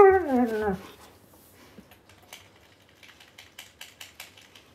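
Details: Bentley, a Siberian Husky, recently very vocal, gives a short, wavering howl-like 'talk' that slides downward in pitch while his owner plays a video game, apparently wanting him off the console.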